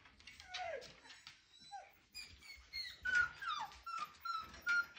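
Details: Siberian Husky puppy, five weeks old, trying to howl indoors: short thin whines and yelps, some sliding downward, others held as high squeaky notes, coming in uneven bursts about every half second, with small room echo.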